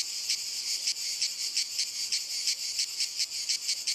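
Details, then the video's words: Cicadas singing on walnut trees: a continuous high buzzing band with pulsing surges roughly once a second, steady and dense, no other clear sounds. "Il Canto della Cicala - Albero Di Noce"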